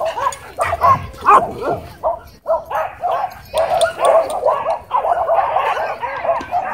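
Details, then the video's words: At a dog park, a dog pinned by an aggressive husky: dense, continuous run of yipping, whining and snarling vocalizations with rapid irregular bursts throughout, hardly pausing, over faint background noise. "Dog Pinned By Aggressive Husky At Dog Park"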